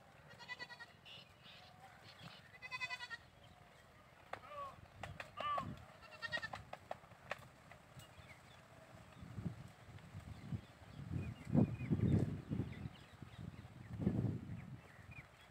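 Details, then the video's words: Goats bleating: several wavering, nasal harmonic bleats packed into the first three seconds, a few shorter calls around four to seven seconds, then low thumps and rustling with quieter background noise. "goats chirping"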